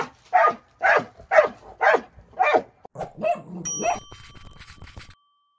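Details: Moose, a dog worked up over rolling his rock, gives several quick barks that trail into lower grumbling sounds, with a bright ringing ding near the end.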